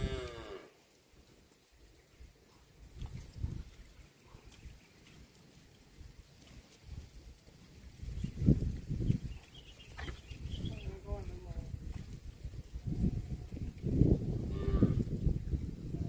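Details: Cows walking through mud in a rice field low in deep, droning moos that swell and fade over a second or two, coming in short bouts, with low thumping and muddy rustling between calls.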